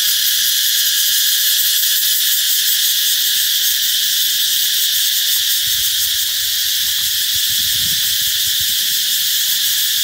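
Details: Loud cicada song said to herald the arrival of summer, an unbroken shrill hissing buzz holding the same high pitch throughout, with soft low rumbles and faint knocks in the background.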